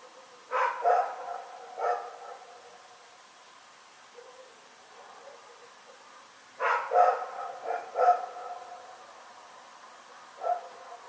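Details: Rex the dog barks through the night, February 27, 2018: an early cluster of three barks, a long quiet gap, then a burst of four quick barks and one last isolated woof.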